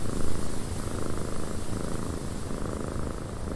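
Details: In a windy cabin, a cat purrs with a dense, low, vibrating rumble that pulses quickly and evenly, backed by a faint, steady hiss of wind.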